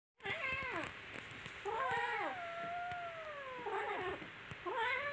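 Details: Kittens playing and fighting with each other give loud, drawn-out meows. One long wail slides slowly downward for about two seconds before breaking into shorter harmonic cries, with soft scuffling in between.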